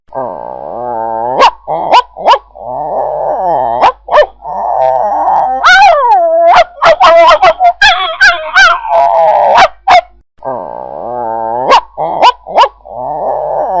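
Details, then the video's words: Angry dog growling and snarling: long rough rumbling growls broken by sharp barks and snapping yelps, a flurry of barks in the middle, then the deep growl resumes. "Efek Suara Anjing Marah | Angry Dog Sound Effects"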